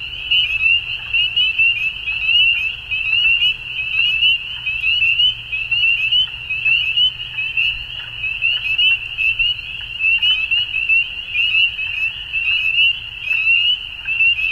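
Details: Frogs calling at dusk: a dense, continuous high trilling chorus of many callers, with pulsing swells in loudness roughly once a second and a faint low rumble underneath.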